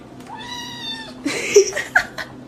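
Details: House cat meowing indoors: one drawn-out, slightly falling meow lasting close to a second, then rustling and a woman's voice speaking.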